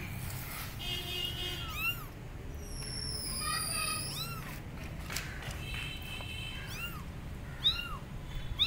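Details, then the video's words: Abandoned kittens on a gate meowing loudly for their mother cat: a rapid series of bright, arched meows, several overlapping, some high and sharp, against faint low background noise. "Abandoned Kittens Are On Gate Meowing Loudly Calling Mom Cat"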